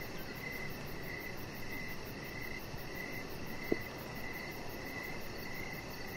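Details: An evening cricket chorus near a deck where Rocket, a chihuahua puppy, rests among decoration lights. Rapid evenly spaced chirps carry over a low steady hum, broken once by a single sharp click.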